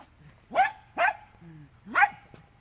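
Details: Dachshund named Andy barking while digging in mud: three sharp barks roughly half a second apart, each with a brief trailing whine, over faint low rumble.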